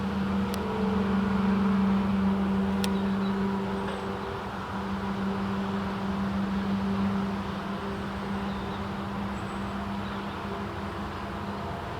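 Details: Only a steady low engine hum from a vehicle is heard, with a couple of faint clicks and no bird calls.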